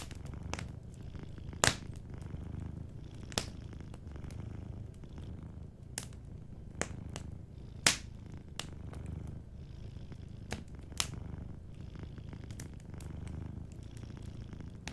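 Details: A sleeping domestic cat purring softly and steadily, a low rumbling drone that continues throughout, broken by sharp crackles and pops from a warm fireplace.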